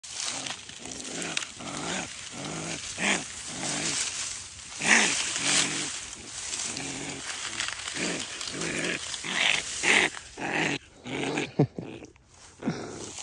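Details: Baby raccoon in the United States growling as a person picks it up during a rescue; rapid rough rasping bursts throughout, with a couple of louder whining cries and handling noise.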